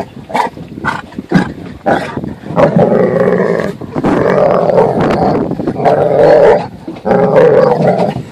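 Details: Dog protesting on a boat when it is time to leave the water: short yelps at first, then long, wavering howl-like whines rising and falling, with people talking over it.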